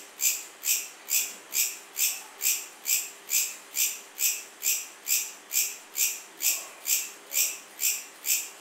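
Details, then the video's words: Chirping cricket repeating a sharp, high, rasping pulse about twice each second with very regular timing over a quiet, faint hiss. "Cricket Sound | Cricket Chirping"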